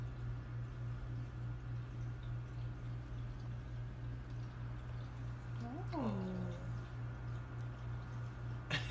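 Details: A house cat's single meow, drawn out and sliding steeply downward from high to low, sounds midway through a long stretch of steady low electrical hum, with a woman's soft speech just before.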